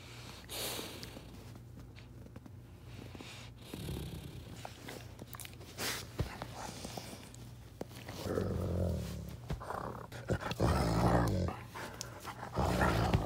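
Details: A high-content wolfdog grumbles and grunts when touched, low rumbling vocalizations rising and falling in bursts, louder near the end, with a person talking in an indoor room.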